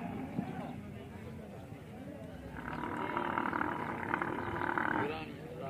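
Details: Camel in the Thar Desert, Tharparkar, Sindh, Pakistan, during mating season; quiet grumbling opens, then a harsh, sustained roaring groan swells through the second half and breaks off near the end, with people's voices mixed in.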